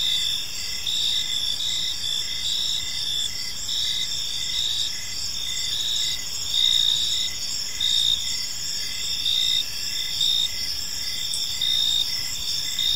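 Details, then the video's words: Gentle chirping of crickets in a park in the evening: high shimmering trills pulsing in quick repeated bursts, intensity swelling now and then, with a quiet constant hiss behind them. "Cricket Sounds in a Peaceful Park"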